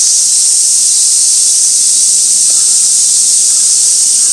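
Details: Cicadas at Gaikotsu-yama, Japan, on 2 August 2024, recorded by a fixed camera beside an old sawtooth oak: a dense, steady, shrill hiss-like drone without breaks, filling the whole clip.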